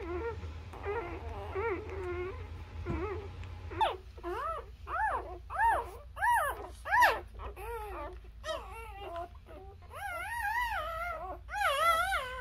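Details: Newborn Labrador Retriever puppies nursing on their mother, giving a string of high, wavering whimpers and squeals that rise and fall, several per second in bursts, with soft low rumbling underneath.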